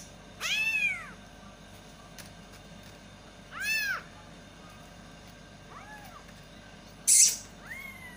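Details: Baby kittens calling loudly for their mother cat: two clear, arching high meows a few seconds apart, then a fainter third one, followed by a sharp click against a quiet indoor hum.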